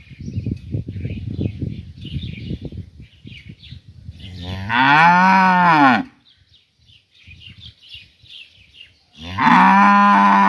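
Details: A rural village cow in the morning, taken away from its companions, calls to another cow with two loud, drawn-out moos that rise then fall in pitch, each over a second long. Rustling and thumping come before them, with faint birdsong throughout.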